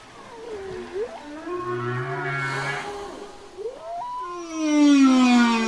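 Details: Whale song used for communication: gliding tonal moans that dip and rise, a brief low hum, then a bright descending whistle-like cry at the end.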